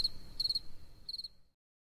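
A spring field cricket gives short, high, pulsed chirps, each a quick trill of a few notes.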